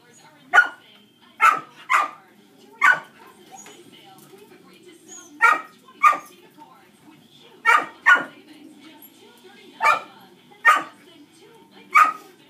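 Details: Distracting barking of dogs heard during a first shaping training session with Dixie, a dog reactive to other dogs; sharp, loud barks repeat at uneven intervals of about one to two seconds over a quiet, steady background.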